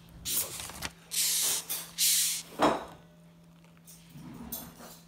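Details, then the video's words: Rhinoceros beetle in a kitchen gives several harsh, breathy hisses when disturbed, each lasting about half a second. "Rhinoceros Beetles in the kitchen"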